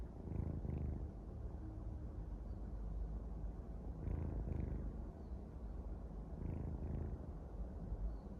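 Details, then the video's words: Kitten asleep and snoring, a continuous low purring rumble that swells with each breath roughly every one to three seconds, quiet and close with nothing else heard. "Mèo con ngáy 😴🐾 고양이가 코를 골다 🐾 The kitten snores"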